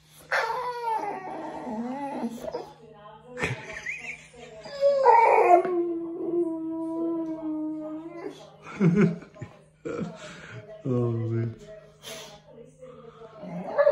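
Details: During a bath, Bear the Boxer dog gives a long run of howling whines: sliding, wavering cries that rise and fall and are sometimes held for seconds, broken by short yips, while a person asks him to whisper.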